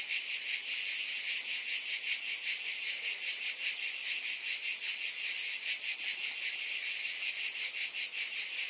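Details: Cicadas in a dense chorus: a steady, unbroken high buzzing with a fine fast pulsing throughout, no other sounds.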